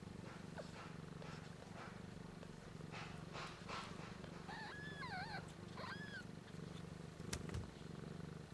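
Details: Newborn kittens a week old, eyes and ears unopened, suckling from their mother Missy "BlueBelle" while learning to purr; a constant low purr runs underneath, with a couple of short, thin, bending mew-like calls midway and a sharp click near the end.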